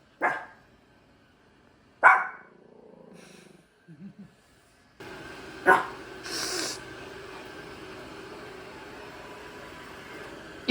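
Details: Dog heard on a holiday trip home by KTX train in Korea: two sharp, loud barks about two seconds apart, then a softer low sound and quiet scuffles, followed by steady background rumble with one more brief bark.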